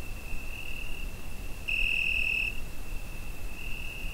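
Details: Crickets singing on a summer night, Zoom H5 recorder; a steady shrill trill runs throughout, brightening into one louder burst of under a second midway, with soft low-frequency rumble beneath.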